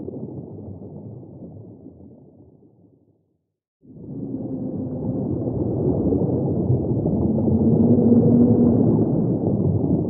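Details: Humpback whale song fades to brief silence, then returns with swelling low moans and a steady tonal note over a deep underwater rumble.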